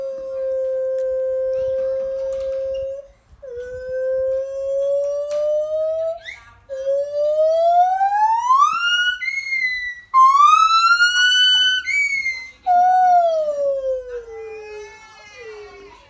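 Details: Lar (white-handed) gibbons on the Isle of Wight sing long, pure hoots that sweep upward into shrill, climbing wails.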